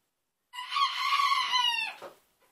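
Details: Newly acquired baby goats: a single loud, high-pitched, trembling bleat holding steady for about one and a half seconds before dropping off at the end.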